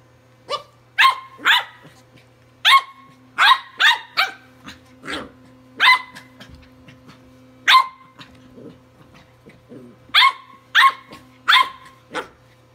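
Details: Playful Welsh Corgi puppy Walter, tri-color, attacking a Sonicare toothbrush with a long run of high, snappy barks, some in quick doubles and triples, broken by brief pauses and little grunts, against a faint buzzing hum.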